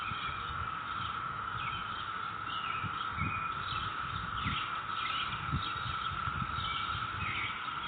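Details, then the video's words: Neighborhood cicadas on May 22, 2021, giving a loud, unbroken monotone hum, with sparse bird calls above and repeated soft low thuds underneath. "Sound of cicadas in our neighborhood"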